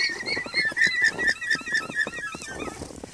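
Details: Alpacas out in their pasture giving alarm calls because they see a fox: a rapid run of high squeaky chirps, roughly two per second, over faint outdoor rustling.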